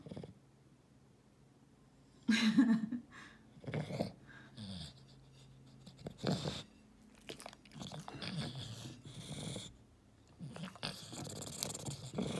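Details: Eating English Bulldog while a person asks about a banana and a carrot. Quiet start, then rough snorting and chewing bursts with a low steady hum underneath and brief human speech.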